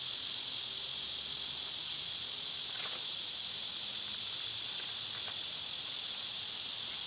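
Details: Cicadas in summer keep up a constant, piercing buzz without pause, while a few faint taps sound in the background.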